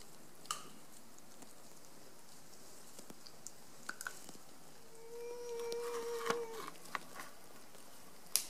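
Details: Black bear cubs, sixteen in residence at a facility, feeding loudly on bear diet pellets, acorns, pecans, red pears and frozen blueberries on an unseasonably warm December 13, 2015; scattered crunching clicks, with a steady tonal whine mid-clip.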